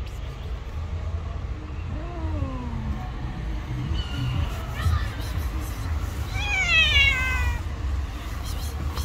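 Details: Stray cats in a fight on the street: a low wavering yowl, then rising and falling meows, ending in a loud harmonic wail, with traffic rumble behind.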